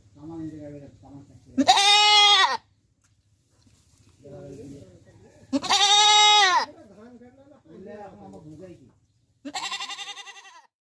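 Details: A goat in Pakistan lets out three loud, nasal, quavering bleats, each about a second long and a few seconds apart, with softer murmuring voices in the gaps.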